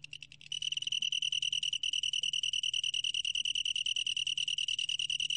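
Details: Long-tailed tree cricket recorded in 2020 by Korea's National Institute of Biological Resources; after a quiet half second, a steady, high, rapidly pulsed ringing trill starts and continues evenly without pause.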